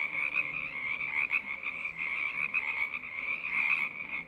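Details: Frog choir: a dense, continuous chorus of many overlapping trilling croaks, forming a steady high-pitched buzzing band that swells and fades slightly throughout, with no other clear sounds.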